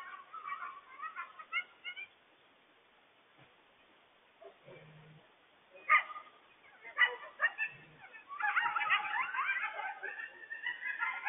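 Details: Coyotes, including a mother, yipping and howling frantically to warn the family about a large loose stray dog; scattered high wavering yips early, a pause, then a dense overlapping burst of yips and squeals in the final three seconds.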